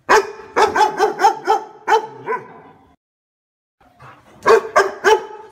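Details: Dog barks rapidly about eight times in a row, falls silent for about a second, then gives three more sharp barks.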